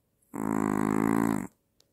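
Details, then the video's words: Maltese dog asleep and snoring, reportedly louder than the father and with apnea. A single loud, fluttering, rattly snore lasting just over a second, followed by a faint click in an otherwise quiet indoor space. "아빠보다 더 크게 코고는 말티즈"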